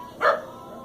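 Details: Corgis playing with a curious bee and trying to eat it; one short, sharp bark rises and falls within a fraction of a second over steady faint background music.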